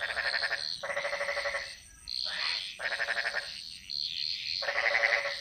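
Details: Jungle frogs in Bali giving harsh, buzzy pulsed croaks in bouts about a second long, separated by brief pauses, against a constant high-pitched background chorus.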